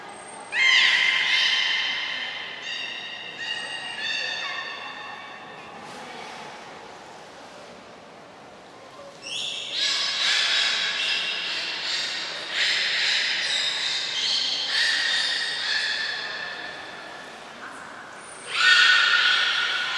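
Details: Captive belugas during a shortened training session at Port of Nagoya Public Aquarium, 25 July 2021, kept brief to save food for a later session. Bright, harmonic squealing whistles come in bursts, with a long run of overlapping calls midway, in an echoing indoor hall.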